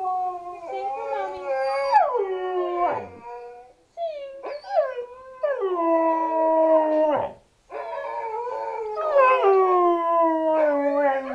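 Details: A husky/Shepherd mix with black coat howls along with dogs in long, wavering tones that slide downward, with yips and breaks between.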